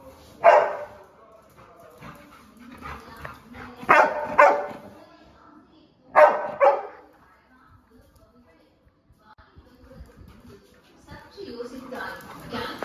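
A Labrador retriever gives a few loud, sharp barks, with a person speaking between them.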